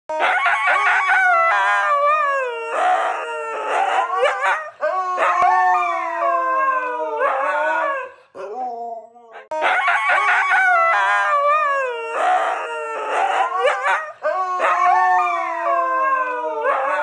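Several huskies howl together in loud, wavering, sliding tones that rise and fall like singing.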